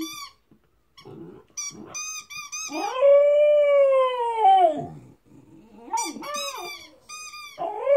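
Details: Chesapeake Bay Retriever puppy, 13 weeks old, howling: a few short yips lead into one long sustained arching howl lasting about two seconds, then further wavering yelps and whines.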